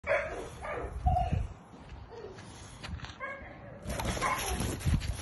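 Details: Old English Bulldog giving short, rough barks, a pair near the start and another burst after a pause, over steady background noise.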